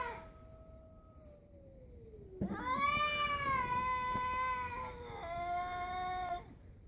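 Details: Two stray cats confronting each other: a low drawn-out moan sliding downward, then a louder rising howl overlapping it, wavering and then stepping down into a steadier, strained cry before fading.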